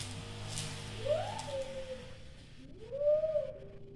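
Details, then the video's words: Pomeranian named Scooby reacting to a boy's voice: two drawn-out, wavering whine-howls, each rising and then sliding gently down, the second louder, with a quiet pause between. "When Scooby hear My son sound Her Reaction is Hilarious || pomeranian"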